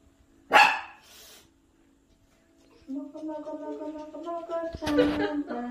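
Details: A Maltese barks once, sharp and loud, at a baby shown on a screen. After a pause, tuneful music and voices play from the screen.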